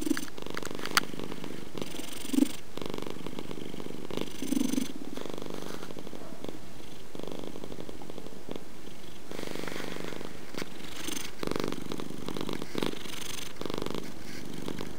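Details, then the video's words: A purring domestic cat, the deep rumbling purr swelling and fading in regular breathing cycles, with a few faint clicks in a quiet setting. "Purring Purr Cat"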